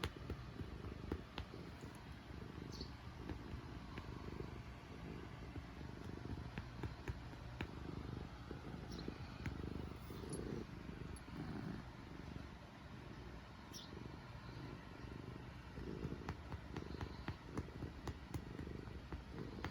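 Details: Black house cat purring steadily while kneading with its claws and biting, content; low rumbling pulses in rhythmic waves about once a second, with a few faint clicks and scratches.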